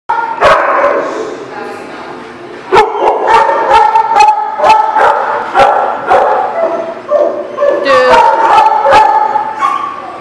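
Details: Several dogs at a dog lot on 19 March 2018, sharp barks cracking out irregularly over sustained whining, yelping tones that waver and overlap, with human voices mixed in.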